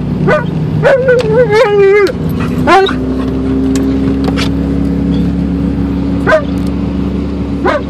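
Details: Alaskan Malamute riding in a car on a three-minute drive to the dog park, giving drawn-out, wavering whine-howls that rise and bend, then shorter yelps later, over a steady low hum of engine and road noise.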